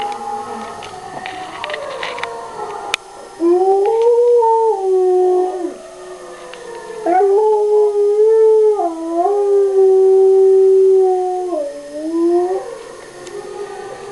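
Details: Pet dog Fuzzball howling along with an mp3 recording of wolves, indoors. Faint layered tones open the clip, then long, wavering, mid-pitched howls swell from about three seconds in, sliding up and down with brief breaks before fading near the end.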